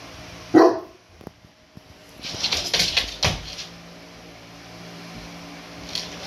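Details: Saint Bernard Mabel, a rescue dog, is annoyed with her overly excited Tibetan Mastiff brother Kuma. One loud, abrupt bark opens the recording, followed by shuffling and scuffling noises, then quiet.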